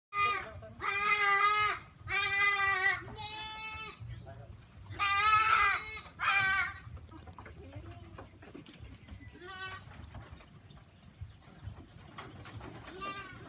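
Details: Goats on a farm giving loud, quavering, harmonic bleats in rapid succession over the first seven seconds, then a few shorter, fainter bleats amid light background noise.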